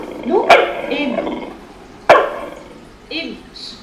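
A Corgi gives two sharp, loud barks about a second and a half apart while a person talks.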